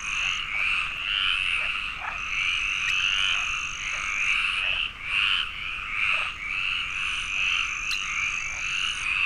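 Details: Chorus of many frogs recorded in the Landes forest, Aquitaine, France, where the protected Iberian tree frog occurs: rapid raspy croaks overlapping without pause, plus intermittent sustained high thin tones and faint clicks.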